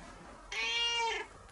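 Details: Indoor cat meowing affectionately to its owner, clinging and following her around; one clear, drawn-out meow lasting under a second, steady in pitch with bright overtones, in a quiet room.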